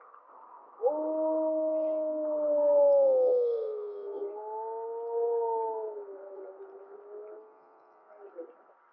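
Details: Gray wolf 1048M of Mollie's pack howling in April 2025, an unusual howl whose second harmonic is louder than the first; a long steady tone, a dip, then a second lower wavering howl fading out, with a faint background hiss.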